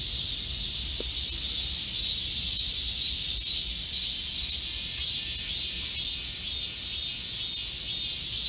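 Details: Korean forest cicadas singing together in the midsummer heatwave of July 2024, a piercing constant buzz with gentle waves of loudness and a few faint clicks.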